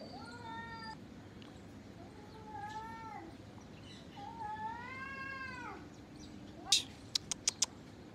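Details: Gray tabby and ginger cat in a fight: drawn-out, wavering harmonic yowls rising and falling over several seconds, then sharp clicks or knocks at the end against steady background hiss.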